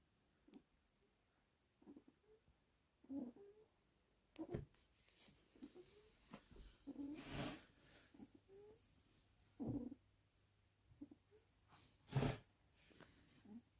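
A Cocker Spaniel puppy snores softly, with low snuffling breaths and faint squeaks every few seconds.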